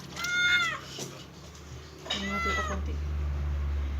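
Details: Cat at its first bath giving two short arched meows about two seconds apart, followed by a steady low hum.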